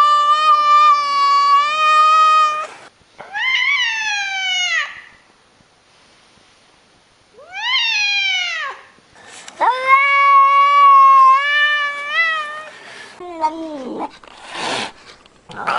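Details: A domestic cat, one of a compilation of cute, funny cats, repeats meows, some long and level, others short and arching, with brief quiet gaps and a few noisy bumps near the end.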